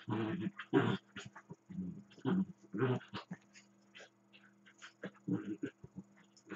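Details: Dachshund grumbling and growling during play with a second dachshund; short rough growly bursts and snorts come in uneven clusters, with quieter whines and snuffles between them over a low constant hum.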